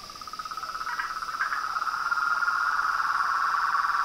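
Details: Frogs and toads in chorus, a dense rapid pulsing trill that swells steadily louder, with a few brief higher notes near the start and a constant thin high-pitched tone running underneath.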